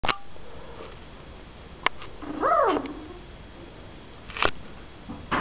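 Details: Two-week-old puppies of the Katie/Riley litter, born March 2011 and raised by National Service Dogs for Autism, with their mother Katie nearby; one short whine arches up and back down, with rustling and sharp clicks indoors.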